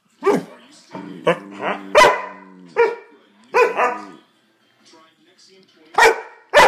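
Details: Two pet dogs squabbling as the smaller one bites and gets mad at the other: rapid series of loud harsh barks mixed with short throaty growls, a brief pause, then more barking.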